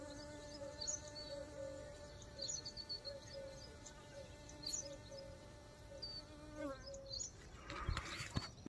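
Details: Honey bee buzzing: a steady, low droning hum with even overtones that holds for nearly seven seconds, wavers slightly, then cuts off, followed by a brief clatter of handling noise.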